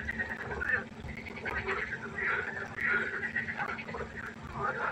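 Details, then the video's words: Several frogs croaking at night by a pond, drawn-out buzzy calls overlapping and blending into a continuous chorus, with a low hum underneath. "1 Stunde Froschkonzert. Frosch Geräusche quaken."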